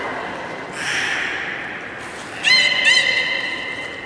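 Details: Beluga during a public training session at Port of Nagoya Public Aquarium, 24 March 2018, 16:30 show: a hissy broadband burst, then a bright harmonic-stacked whistling call with a short wavering upturn, heard indoors.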